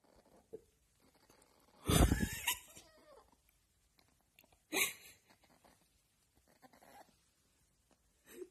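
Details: A little fox waking up gives a short, harsh, breathy cackling burst, then a second briefer burst a few seconds later, with faint rustling and a person speaking afterwards.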